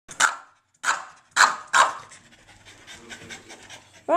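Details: Rocket, a foster dog indoors, gives four sharp barks in the first two seconds, then softer rustling and panting-like noise, with a brief whine-like rising sound at the end.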